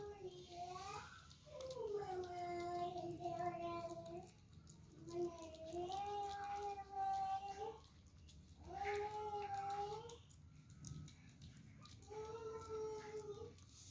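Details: Kittens eating for the first time and squabbling over their food, giving long drawn-out meows, about five over fourteen seconds, each rising then holding steady with rich harmonics, separated by short pauses over a low indoor hum.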